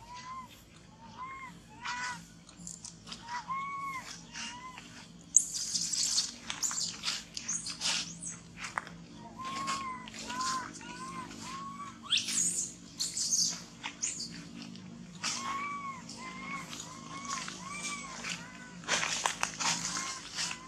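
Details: Baby monkey that has lost its mother, shaking and hugging a tree while crying: repeated arched, whistle-like wails that rise and fall, some in quick pairs, among rustling, crackling bursts and faint chirps.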